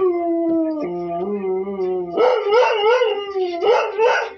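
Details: Pet Kelpie howling along to the television: a long steady low howl that drops lower, then breaks into rising, wavering yodel-like notes.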